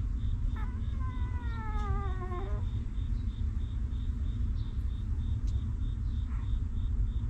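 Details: Newborn puppy of a stray mother dog, nursed and kept warm by her: one drawn-out, wavering whimper with clear harmonics, sliding gently downward over about two seconds, then quiet, over a constant deep rumbling background.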